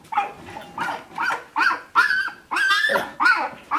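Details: Shiba Inu puppies of Ichi and Hime at sixteen days, 13 March 2017, whine steadily: short nasal cries roughly every half second, each rising then dropping, growing louder toward the end.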